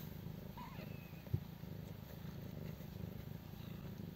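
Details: Purring of a stray mother cat with her litter of five kittens, twelve days old, in a doghouse; continuous low pulsing rumble, one sharp knock near the middle, otherwise quiet surroundings.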